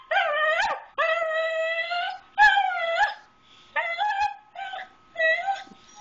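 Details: Pet dog begging for grilled cheese at home indoors: a run of loud, drawn-out whining howls with rising tones, each about half a second to over a second long, several in six seconds, while a woman's voice speaks softly nearby.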